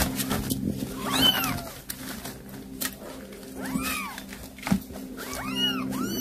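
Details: A mother cat that brought a mouse for her kittens calls to them. Short arched meows come in three separated bursts, the last a quick double, over a constant low hum with scattered clicks.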